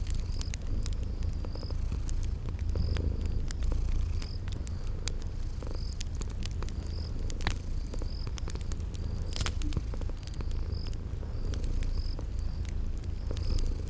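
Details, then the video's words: Sleeping kitties purr softly by a crackling fireplace in spring garden ambience: a low continuous rumble, frequent sharp crackles and a regularly repeating high chirp across the whole stretch. "Sleeping Purring Kitties"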